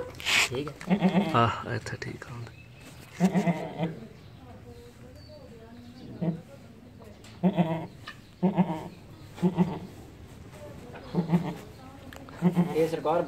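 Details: Beetal goat kid from Azad Jammu and Kashmir, bleating in short, nasal bursts repeated every second or two, some quavering, with people talking and laughing nearby.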